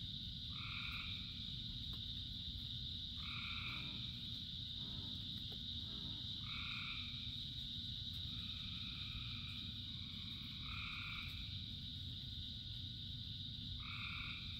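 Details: In steady rain, a frog chorus of thousands: short two-toned croaks repeat about every two to three seconds, around six in all, over an unbroken high-pitched drone and constant low patter of rain.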